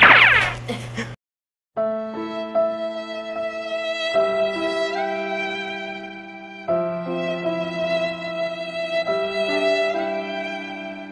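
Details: A short noisy burst, then slow bowed string music with sustained held notes and no animal voice.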